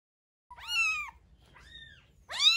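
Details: Rescued kitten about a week old, from Paraguay, being fed milk indoors: two high, clear mews with falling ends, a softer shorter one between them, the last rising sharply and cut off.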